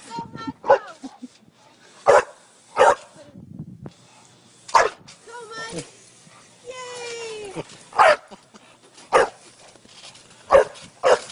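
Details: Dog playing on a trampoline, urged on by a man's voice; sharp single barks spaced every one to two seconds, with speech between them and laughter at the end.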